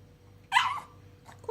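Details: A pug reacting as if seeing ghosts lets out a single high, strained yelp lasting about a third of a second, then near silence and a faint start of another whine.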